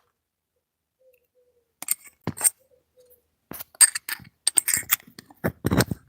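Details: Clinks, scrapes and handling noises in a small room, with a faint tone near the start and no animal voice.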